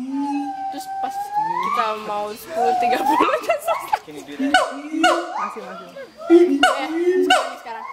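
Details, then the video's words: Pair of adult siamangs at Schmutzer Primate Center singing their territorial duet; long upward-sliding wails, booming lower notes and bursts of sharp barks overlap in a complex, uneven sequence. "Duet Song of Siamang Gibbons (Symphalangus syndactylus)"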